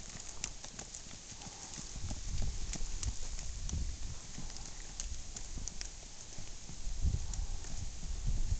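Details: Tennessee Walking Horse stallion on the move, a continuous run of crisp clip-clop hoof strikes at an uneven pace over low background rumble.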